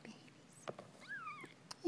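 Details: Ten-day-old Persian kittens indoors: a thin, wavering mew rises and then falls, with soft murmured words and small clicks around it.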